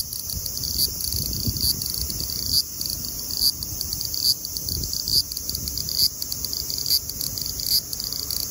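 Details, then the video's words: A lively large brown cicada (Graptopsaltria nigrofuscata) at 24 degrees (75 °F) gives a constant, dry, high sizzle, pulsing with slight swells of loudness, over a light low rumble. "Large brown Cicada singing lively at 24 degrees(75 fahrenheit)"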